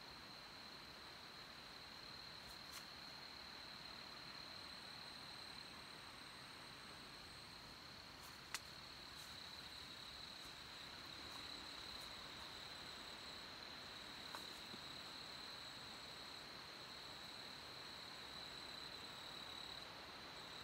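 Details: Brood IX 17-year periodical cicadas molting in an apple tree on May 31, 2020; a steady, faint high droning chorus holds one even pitch throughout, with a few brief clicks over low background noise.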